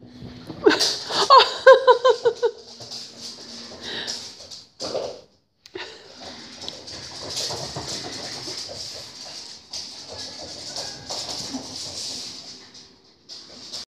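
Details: Six-month-old Dachshund puppy in a burst of wild play indoors: a quick series of short, tonal yelping and growly barks in the first seconds, then softer snuffling, scuffling and hissy rustling noises.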